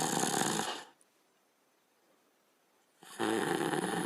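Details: A sleeping dog, a Border Collie or Australian Shepherd, snores in two rough, rasping breaths separated by a quiet pause.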